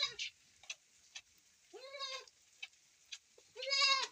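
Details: Goat bleating during milking on a rainy day; two clear wavering bleats, the second longer and louder, separated by faint clicks and a steady hiss of rain.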